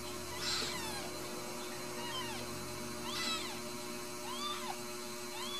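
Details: Ragdoll kittens, home-raised without cages at a cattery in central Kansas, give several high, thin arched mews, about four over six seconds, against a constant background hum.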